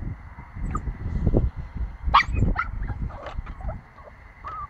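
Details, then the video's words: A 9-week-old Pomsky puppy barking: a run of short, high-pitched yips and squeaky barks over about four seconds, some with a whimpering edge, set against a low rumbling background. "Pomsky barking"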